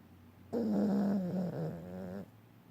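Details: Dog snoring and dreaming, giving a single drawn-out voiced moan that holds a low steady tone, dips briefly near the end, and lasts nearly two seconds before stopping abruptly in an otherwise quiet room.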